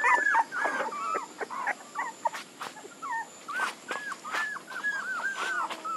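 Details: Puppies whimper in faint, curling cries that rise and fall, a few short yips between them, over a hissy background with occasional sharp clicks and knocks.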